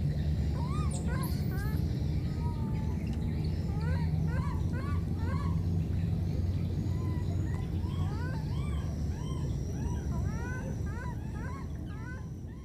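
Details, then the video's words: Separated by floodwater, two wild baby monkeys keep calling each other in a rapid, irregular run of brief rising-and-falling squeaks, about two each second, set against a continuous low rumble and a faint steady high tone. "Calling each other, these two baby monkeys were separated because of the flood"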